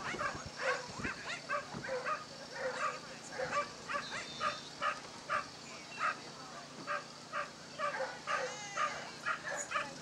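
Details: Basenji, catalog entry 5 at a Dogs NSW lure coursing event on 27 September 2015, running the course; a quick series of high, harmonic yelps comes roughly twice a second, uneven, over steady background hiss.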